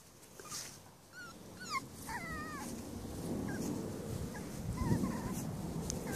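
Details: Five-week-old Cavalier King Charles Spaniel puppies from one litter give thin, high squeaky whines, some rising and falling, in short scattered bursts over a steady low rumbling background.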